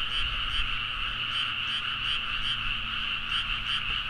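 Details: Late-night rice-paddy frogs near Nagaoka, Niigata, Japan, recorded with a Zoom H4n; a thick constant croaking chorus with a few brighter individual calls popping out roughly every half second, plus a faint low steady tone.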